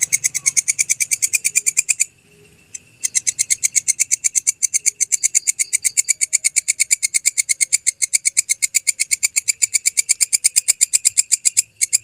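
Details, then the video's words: Belalang kecek grasshopper, a genuine recording used as tutor material for songbirds: a rapid, steady train of dry, high, buzzy clicks, about seven per second, broken by a one-second pause near the start, then resuming unchanged. "Masteran Suara Belalang Kecek asli"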